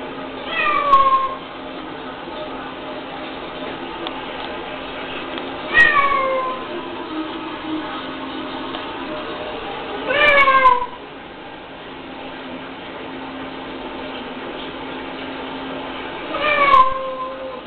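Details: Female pet cat hearing playback of her own screams: four drawn-out, downward-sliding meows spaced roughly every four to five seconds, clear harmonics, faint speech in the background indoors.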